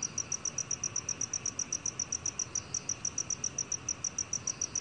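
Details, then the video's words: Black cricket producing a continuous series of crisp, high chirps at an even pace, close to four every second, against faint low background noise. "검은귀뚜라미, 여러번 듣기, 곤충소리"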